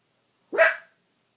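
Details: A Pomeranian barks at a dog in a movie playing on screen: a single sharp, high-pitched bark that rises quickly and fades within half a second.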